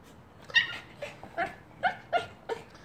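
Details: Silver Yorkshire Terrier indoors, trying to get snacks out of a chew toy, making funny noises: a series of short, high whining yips and whimpers spaced about every half second, some with a rising pitch.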